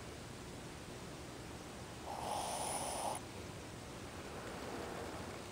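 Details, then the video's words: A single soft, hoarse snore lasting about a second from Ozzy, a sleeping Shih Tzu dozing with eyes open. Quiet stillness surrounds the breath. "Ozzy, o Shih Tzu, roncando."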